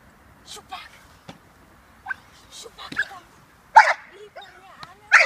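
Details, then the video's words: A female American Staffordshire Terrier, six months old, in puppy protection training with her handler. Loud, harsh barks burst out near the end, with softer yelps and whines before them, and a person talking throughout. "American staffordshire terrier - puppy protection work"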